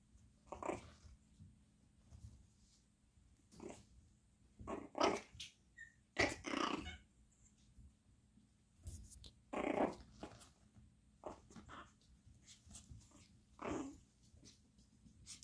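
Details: Chihuahua puppies, a brother and sister, giving short rough growling yips in scattered bursts, several louder outbursts near the middle, with quiet pauses and soft handling noises between.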